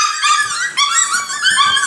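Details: Miniature Schnauzer puppies, nine weeks old, indoors at feeding time: a dense chorus of shrill, overlapping whines and yips, high and harmonic, rising and falling without pause.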